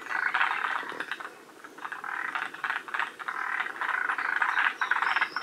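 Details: Several forest green tree frogs calling together at Shiriya in Aomori, near the species' northern limit: quick clattering pulse trains, about four bursts a second, swelling and fading in overlapping waves.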